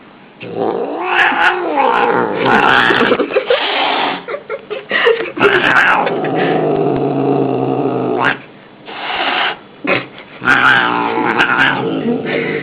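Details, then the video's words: Angry domestic cat caterwauling loudly and continuously, a harsh, rising-and-falling growling wail with rough harmonics, broken by brief pauses and sharp noisy bursts. "ANGRY CAT"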